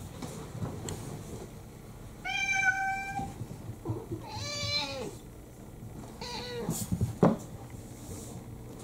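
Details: House cats demanding food first thing in the morning indoors: three drawn-out, harmonic meows, the middle one rising then falling, spaced about two seconds apart, with soft household clatter and a sharp knock near the end.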